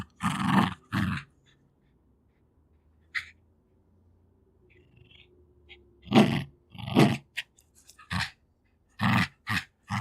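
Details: Two-year-old female Jack Russell Terrier fighting for her favourite toys: rough, harsh growling bursts, a pair at the start, then quiet breathing and small sniffs, followed by a cluster of louder throaty growls in the second half.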